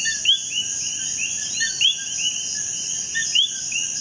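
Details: Common coquí in Puerto Rico giving clear two-part calls, a short lower note then a sharply rising whistle, roughly every second amid other coquís, with a steady shrill insect drone behind.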